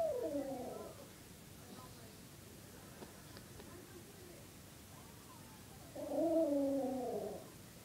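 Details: A puppy making Chewbacca-like noises: two drawn-out, wavering groans with a rising and falling pitch, one at the start and one about six seconds later, with quiet room noise between.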